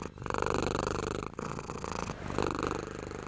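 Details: Pet cat purring in a close, continuous rhythmic rumble, swelling and easing across the breath cycles with a brief dip between them.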